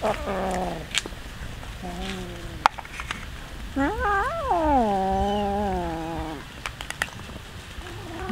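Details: Many hungry cats being fed raw fish. Short meows, then one long, wavering, drawn-out meow that rises and slowly falls. Brief clicks and eating noises run between the calls.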